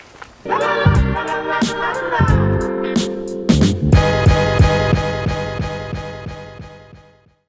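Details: Upbeat soul-style music with steady beats and a brief voice fills the recording, with no animal sound heard.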